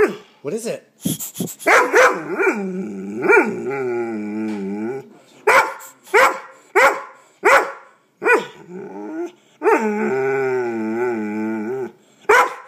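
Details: Pet dog going nuts at an air pump, mixing sharp barks with long, wavering, moaning growl-howls that warble up and down for several seconds at a time.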